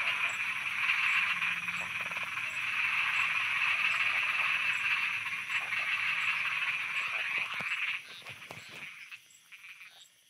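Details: Thai frogs croaking after dark, a loud, busy chorus of quick repeated rattles that runs for about eight seconds, then drops away sharply and trails off into near quiet.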